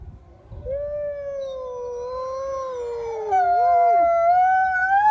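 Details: Captive juvenile grey wolves at the Wolf Conservation Trust in the UK howling. One steady drawn-out tone holds level, dips briefly, then a second, higher voice joins partway through, and both rise together.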